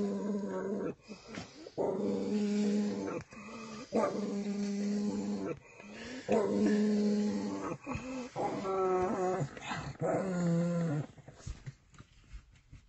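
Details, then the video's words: Pug inside a car growling at its own reflection in the mirror: long, droning, nasal growls in repeated bouts of one to two seconds, some wavering and rising into whiny grumbles, with short pauses between. "Pug growling at himself in the car mirror"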